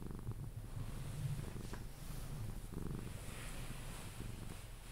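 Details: Close, low purring from Pepe, a Sphynx cat being cuddled until sleep; rhythmic rumbling pulses with a quiet hiss of background noise.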